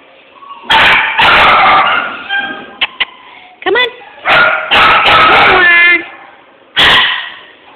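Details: Male Jack Russell Terrier, filmed on a phone, giving a run of loud, sharp, harsh barks in quick bursts, several close together and then a pause before a final bark, while a person talks and calls to the dog.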